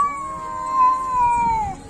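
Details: Domestic cat giving a long, drawn-out yowling meow, a steady tone with rich harmonics that holds level, swells slightly in the middle and sinks in pitch near the end, lasting under two seconds.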